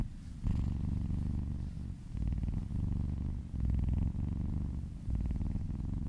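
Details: Domestic kitten purring while being massaged and licking its owner's arm indoors; steady low rumbling purr in long pulsed phrases, broken by brief pauses near the two, three-and-a-half and five second marks.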